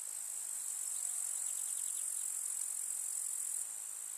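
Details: Chorus of grasshoppers in a rural summer meadow among wildflowers, giving a continuous sizzling high trill. Faint ticking accents lie underneath, and the trill softens slightly near the end.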